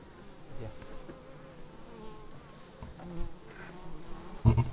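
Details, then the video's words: Bees arriving at the hive entrance, recorded on a Xiaomi Yi action camera: soft, wavering buzzes from several insects over a low hum. A sudden loud thump closes the passage. "Bees arriving at hive"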